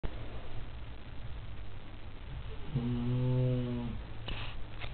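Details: Labrador Retriever named Elvis, staying over a weekend in foster care, snoring through the night; one long rumbling snore with a steady low buzzing tone, over a quiet indoor hum.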